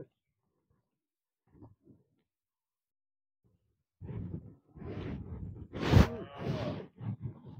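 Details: Free-ranging cattle kept in an oil palm plantation in Malaysia; near-silence with faint low thumps, then from four seconds a rough, low lowing that swells into a harmonic moo, bending up and down around the sixth second, before trailing off.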